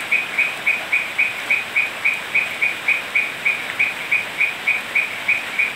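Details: Rainy night in Peru's Manu National Park, Cusco, with toads croaking: evenly paced, clipped chirping notes at a steady high pitch, roughly four per second, over a continuous background wash of rain noise.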